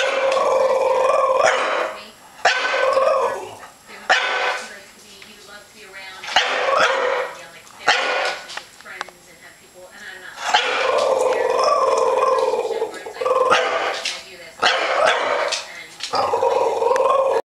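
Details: Thor, a 1-year-old French Bulldog scared of a plastic comforter bag, lets out repeated bursts of strained, whiny barks and yelps that rise and fall in pitch, with a person speaking between outbursts.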